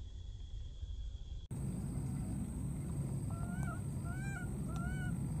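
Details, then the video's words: A wild baby monkey calls out for its friend near water, giving three short, clear, slightly arched cries in quick succession after a sudden cut, with low rumbling background noise throughout. "this cute baby monkey keeps looking for and calling for his friend"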